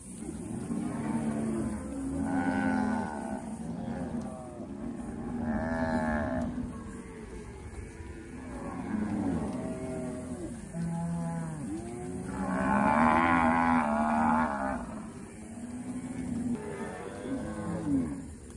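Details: Several grazing cows on a countryside pasture moo repeatedly, long low calls overlapping one another.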